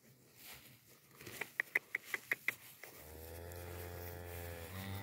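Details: Holstein cattle, heifers of twelve months and older kept for sale in San Pedro de los Milagros and San Roque, Antioquia: a series of sharp clicks, then a long, low, steady moo that fills the final two seconds.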